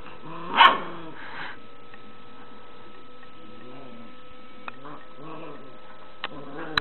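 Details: Puppy, three months old and startled by a cat toy, gives one sharp bark and a softer follow-up, then quiet low murmuring sounds with occasional clicks.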